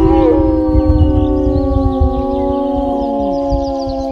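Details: Wolves howling together, several long tonal howls overlapping at different pitches, some sliding downward, over a continuous low rumble.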